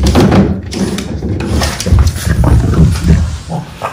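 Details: Two Boston Terriers play fighting indoors, playing bitey face and tumbling on a rug: low, rumbling growls run almost continuously, broken by soft thumps and scuffles as they wrestle.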